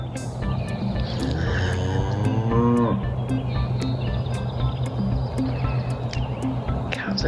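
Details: A grass-fed Red Angus cow, one of two cow-calf pairs newly brought to a farm with a steer, gives a single drawn-out moo over steady background music.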